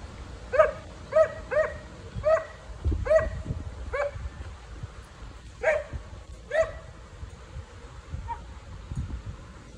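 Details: Dog objecting to neighbours relaxing in their backyard pool, giving clipped, tonal barks in quick bursts of two or three, roughly every half second, then pausing, over low background rumble.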